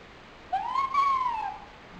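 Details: A nine-month-old pet dog named Pochi whines from loneliness, February 12, 2007: a single drawn-out nasal cry that rises, holds high, then slides down over about one second in a quiet room.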